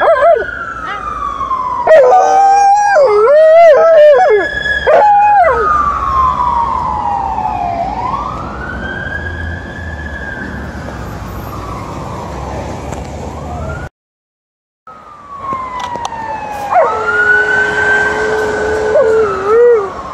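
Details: Liza, an Alaskan Malamute, howling during an evening walk; wavering, pitch-bending howls rise and fall early on, then long smooth siren-like sweeps glide up and down, with a brief gap of silence before a final wobbling howl.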